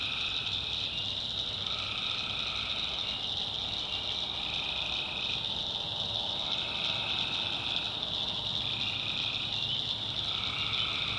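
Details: Tree frogs at night in a North Carolina backwoods swamp form a constant high trilling chorus, while lower-pitched calls swell in separate bursts of about one to two seconds, several times across the stretch.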